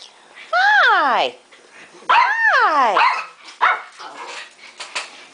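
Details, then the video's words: Household dogs indoors, several pets kept in crates and greeted by name; two long, loud wavering yowls, each sweeping up then sliding down in pitch over about a second, followed by softer yips and a woman's voice. "Dog Everywhere!"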